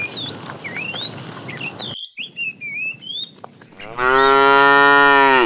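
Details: Morning herd of tame cows setting off toward green fields; after several seconds of bird chirps and whistles, a cow lets out a long, steady, rich moo that runs to the end.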